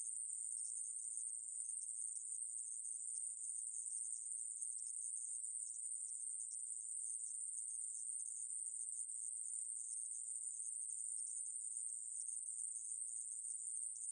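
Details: A steady, very high sizzling drone from the aemaeburi conehead katydid, recorded by Korea's National Institute of Biological Resources in 2020, continues unbroken for fourteen seconds against silence.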